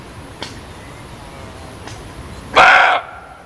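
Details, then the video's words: A single sharp, gruff bark from a muntjac (kijang), loud and brief, preceded by a couple of faint clicks against steady low background hiss. "SUARA KIJANG"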